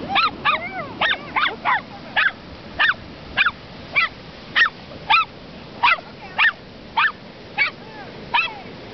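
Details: Dogs playing in the surf at Ocean Park, Washington, give short, sharp, high yips and barks in a quick, uneven series of about fifteen over nine seconds, with a low background hiss of waves.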